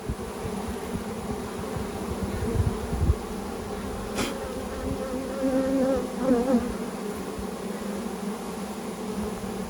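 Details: Honey bees from a package settling into a new hive with their caged queen; a continuous low hum, a sharp click near the middle, and a few wavering higher buzzes from bees flying close.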